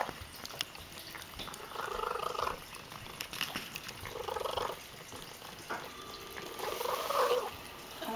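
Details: Female domestic cat purring loudly while eating indoors: soft rasping purr swells in bursts about every one to two seconds, pulsing with her breathing, with faint clicks between.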